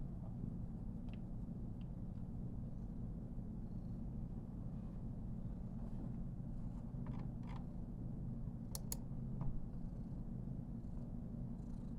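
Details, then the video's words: Karen, a female Somali cat born 19 November 2021, purrs contentedly under heavy petting; a continuous low throbbing hum fills the recording, with scattered light clicks and rustles over it. "もふりまくる #ソマリ #cat"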